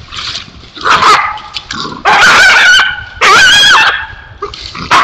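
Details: A coyote caught in a foothold trap, wailing and yelping: loud, harmonic, wavering cries rising and falling in bursts about a second long, separated by short quieter gaps with softer whimpers.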